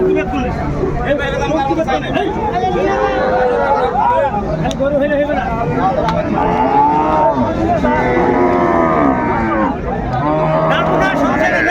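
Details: Cow with her calf at Ambari Hat livestock market in Dinajpur, Bangladesh, January 17, 2025; several drawn-out, wavering moos rise and fall over a constant din of crowd chatter and bargaining voices.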